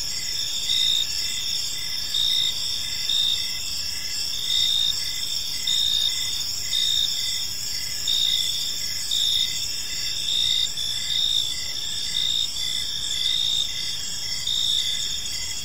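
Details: Park crickets chirp as evening falls, high rhythmic pulses rising into louder bursts roughly every second or two, layered over a steady insect drone and faint low rumble.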